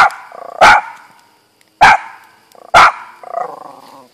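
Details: Three loud, sharp barks spaced roughly a second apart from Auggie, a pet dog that barks too much, with softer huffing sounds trailing between them.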